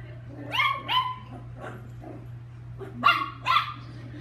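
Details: Playful chihuahua named Lucky yapping: two quick high-pitched barks, a pause, then two more sharp yaps toward the end, with a constant low hum underneath.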